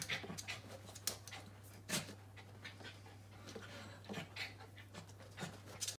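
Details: Young Corgi at a watermelon, its soft rapid panting broken by sharp wet mouth clicks and smacks at irregular moments, over a constant low electrical hum in a quiet room.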